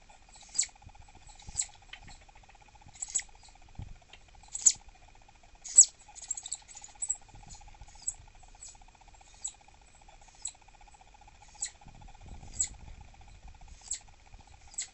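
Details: An annoyed female southern flying squirrel, suspected by her keeper to be irritable from pregnancy, refuses treats around 6 pm and gives very high, sharp chirps about once a second over a hum. Her real calls are about twice this loud.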